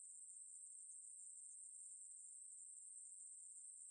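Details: Ruspolia katydid (매부리) song from the National Institute of Biological Resources, 2020: an unbroken, very high, hissing buzz held at one steady pitch for the whole stretch, with no other sounds.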